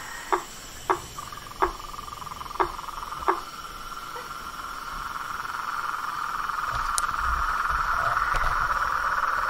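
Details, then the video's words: Wild frogs in a natural setting: five separate clicking knocks in the first few seconds, then a dense, even trilling chorus builds and grows louder to the end. "Os sons dos sapos , rãs e perereca na Natureza"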